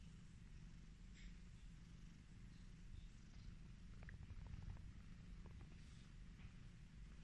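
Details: Domestic cat that loves being petted purring contentedly, a deep rhythmic rumble holding steady, with light scratchy stroking sounds and small clicks scattered through the middle.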